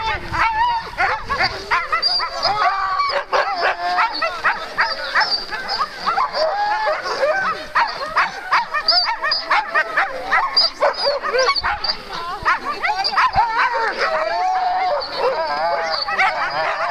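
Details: Two Alaskan malamute sled teams starting on day two of Metsäkartano Sprint, 4 March 2012; continuous frenzied chorus of barks, yips and yelps from many dogs, loud and unbroken throughout.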